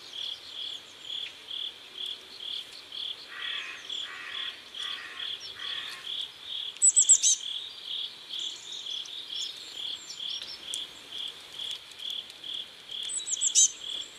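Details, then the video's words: Riverside crickets at sunset in South Korea giving evenly spaced high chirps about every half second, joined briefly by a lower raspy pulsed call and a few sharp high bird notes. "Sunset River and Sound of Crickets"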